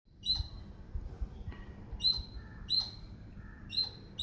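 A squirrel chatters with piercing, high-pitched chirps that start abruptly and drop off fast. The notes come in an irregular run over a low rumble of background noise.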